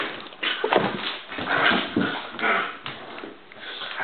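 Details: Fight between the two dogs Bowser and Canela: short snarling growls swell and fade roughly once a second, with a few thin whining squeaks, in a small indoor space.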